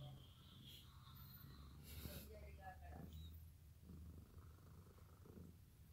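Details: Sakura, a cat, sleeps on freshly washed bed sheets she stole and purrs a steady low rumble throughout, with brief soft rustles and faint voices over the top.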